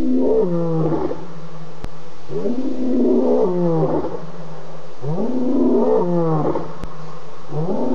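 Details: Wild lion roaring at night, 4:45 a.m. on 30 August, near a pan: a regular series of deep, rising-then-falling grunting roars, about one every one and a half seconds, loud and close over a still background.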